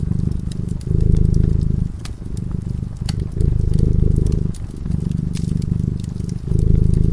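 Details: Fireside sleeping cat producing a continuous, buzzing purr that alternates between strong surges and softer inhalations, while the warm fire pops and crackles in the background.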